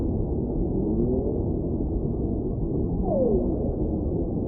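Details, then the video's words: Whale song for relaxation and sleep: faint, smooth descending tonal sweeps, one soft moan early and a clearer downward glide near the end, set over steady low underwater rumble. "Whale Sounds"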